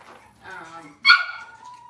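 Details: Cavalier King Charles Spaniel in a kitchen with breeding mothers and puppies, cloudy Monday morning; a soft murmured vocalising, then one sudden sharp high yelp that trails into a thin falling whine.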